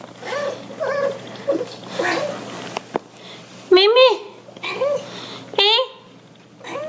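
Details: Domestic cat talking to its owner while the owner empties the dishwasher, indoors in a small room. Two loud, rising-then-falling meows come in the second half, after a stretch of human speech and kitchen clatter at the start.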